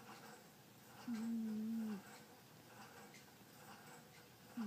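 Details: Butterfly, a sleeping domestic cat, snores indoors: one steady, low whistling breath about a second long, with the start of the next breath cut off at the end, over a quiet room hiss.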